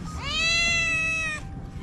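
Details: Rescued sick stray Scottish Fold cat meowing once: a long, steady, clear meow with a gently rising start, held about a second, then cut off; faint background hum.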